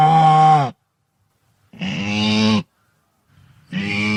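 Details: Wildebeest, an antelope of African habitat, gives three drawn-out, low, lowing moans, roughly one every second and a half. The first dips slightly at its end. Quiet gaps separate the calls.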